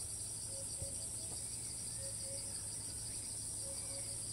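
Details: Thai cicada that flies off repeatedly but restarts its song each time it settles, recorded at a distance. Continuous high, even hiss-like buzz throughout, with soft paired low tonal notes recurring behind it.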